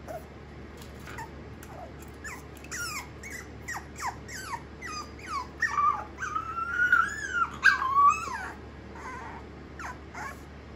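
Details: Black Mameshiba puppy, born 8 November 2021, nervous after being given a new little house indoors; a series of short high whimpers and yelps, some rising then falling, growing louder and denser midway, with a low steady hum behind.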